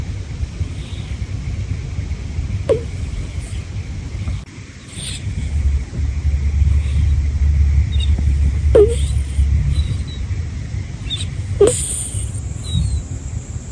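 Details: Senior black-and-white cat Teru sleeping on a bed with Homare lying lovingly alongside; deep continuous low snoring rumble, brief pause near midway, then brief high nasal 'puu' squeaks at irregular intervals.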